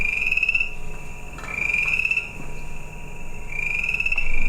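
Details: Chorus frog song, the second of two chorus frog species played, its song completely different from the first; long steady high-pitched trills repeat, separated by short gaps, over a faint background hum.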